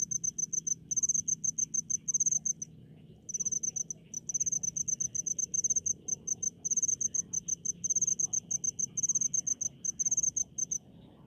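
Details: Rice-field cricket in the countryside producing loud, high chirps in rapid groups of pulses, each run lasting a second or two before brief silent gaps, over a faint low background hum.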